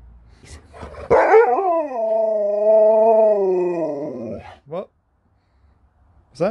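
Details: Sherpa, a pet Alaskan Malamute, 'talks' while a treat and tea are promised: one drawn-out, wavering, howl-like moan of about three seconds, level in pitch before sagging at the end, with brief human voice before and after.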